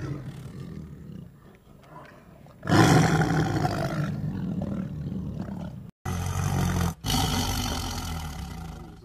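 A tiger roars in deep, rasping bursts that swell loudly and then hold rough and full.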